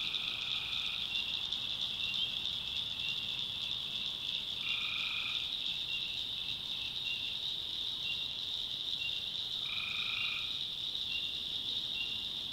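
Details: Tree frogs calling at night in the backwoods of North Carolina: a dense, steady high trill fills the air while two drawn-out tonal notes stand out about five seconds apart, with short chirps scattered through the chorus.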